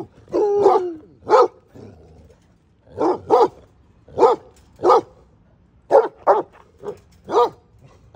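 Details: Pet basset hound, one of two in the household, barking steadily in a deep, hoarse voice, often in quick pairs, about fifteen barks with short quiet gaps between bursts.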